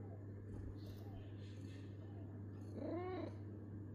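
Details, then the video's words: Domestic cat humming: a short, murmured, tonal call near the three-second mark that rises and then falls, set over a low steady hum with faint background noise. "I like the sound of my cat humming."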